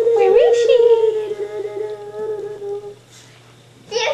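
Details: A five-and-a-half-week-old Staffordshire Bull Terrier puppy from Jenny's litter, inside a room. It gives a sustained, even whimpering whine for about three seconds that fades out, then a short fresh cry at the close.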